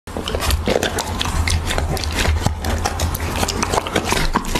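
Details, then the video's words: Siberian Husky eating raw beef, recorded close up in ASMR style: rapid, irregular wet chewing and crunching clicks throughout, with a steady low hum underneath. "Husky ASMR | Mukbang eating raw beef"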